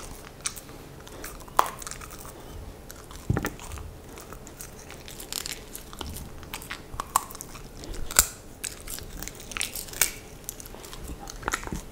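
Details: Dog Maya chewing and biting food indoors in a small room, with sharp crunches and crinkling scattered through quiet room tone. No calls or barks.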